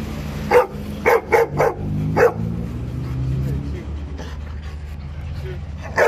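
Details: Dogs barking during a scuffle between a husky named Ghost and two hyper Labradors met on a walk. Five sharp, loud barks come in quick succession in the first two seconds, then a murmur of human speech, and one more bark at the end.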